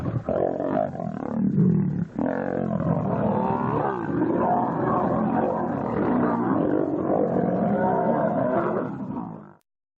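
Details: Lions fighting very close, about five metres away: an unbroken stretch of rasping, throaty snarls and growls, loud and steady for nine seconds before cutting off abruptly into silence.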